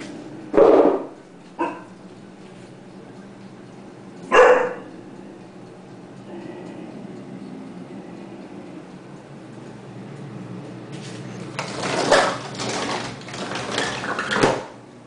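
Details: Dobermann watchdog, a female, reacting to a noise outside. Gives three loud single barks spaced a few seconds apart, then a burst of noisy barking and commotion near the end, with a person's voice.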